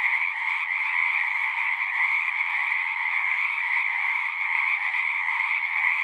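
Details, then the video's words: Frogs chorusing at a pond in a horse pasture, recorded on a Zoom 6: a dense, unbroken wall of shrill trilling calls from many frogs, a steady high tone over a lower layer, with no pauses. "Frogs singing"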